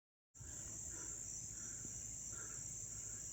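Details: On September 9, 2024 in Dobbs Ferry, New York, crickets chirp up close in a steady, high-pitched continuous trill.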